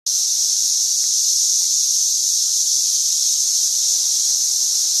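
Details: Swarm of cicadas in St. Louis in 2011, calling in a dense chorus: a steady, unbroken high-pitched hiss-like drone holding constant loudness throughout, with no other clear sounds.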